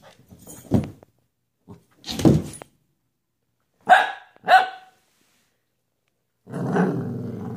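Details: Dog giving two sharp, loud barks about half a second apart, after some rustling and handling noises, then a longer rough, grating sound near the end.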